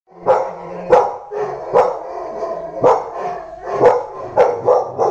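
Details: Labrador Retriever puppy barking repeatedly, about seven sharp barks spaced roughly a second apart, with background music.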